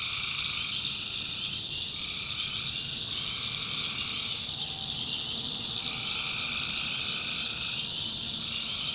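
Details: Nighttime swamp chorus of tree frogs in the North Carolina backwoods. A constant shrill trilling is broken by lower droning bursts, each lasting one to three seconds and starting and stopping irregularly.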